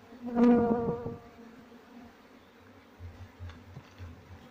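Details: Honey bee from a colony being moved into a cultivation box after its queen is caught, the colony following the queen: a loud, close, harmonic buzz swells and fades within a second, then faint low hum and soft knocks.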